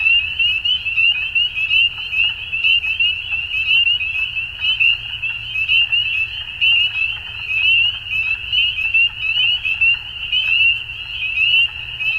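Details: Frogs at dusk: a dense high chorus of rapid, chirping pulses in uneven bursts, about sixty-eight a minute, merging into a steady bright drone with quiet low rumble beneath.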